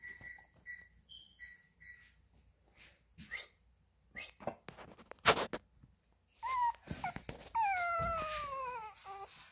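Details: Chihuahua puppy whimpering indoors: short high whines near the start, then clicks and rustling, followed by drawn-out falling whimpers with harmonics toward the end.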